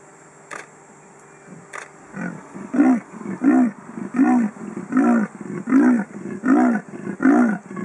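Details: A male leopard in Kruger National Park, around 5.30 pm, gives a rasping, sawing call of repeated hoarse grunts in a steady rhythm, calling for a mate and ignoring a nearby car.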